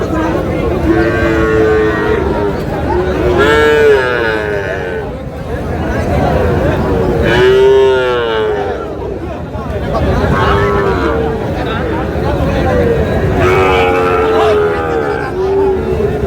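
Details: Sahiwal bull calves bought by a farmer from Chandpur, Bangladesh, at a busy market; several drawn-out, arching moos recur every few seconds over constant crowd chatter and background noise.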